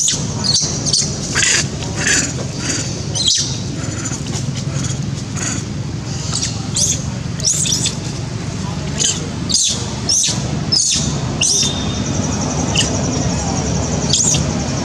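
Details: Janet, a monkey, screams loudly from hunger, wanting food; high, piercing, clustered shrieks repeat roughly every second, mixed with short clicks and a low rumbling hum.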